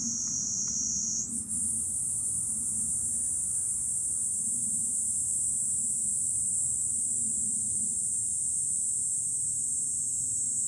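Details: July cicada chorus heard from a high vantage point above Fukuoka city, Japan; a continuous piercing whine that lifts slightly in pitch early on, then stays constant over a soft low background rumble.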